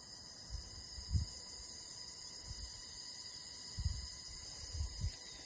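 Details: An unbroken cricket chorus rings steadily in several high pitches over a natural background. Dull low thuds recur every second or so beneath the chirping, suggesting footsteps or rustling nearby.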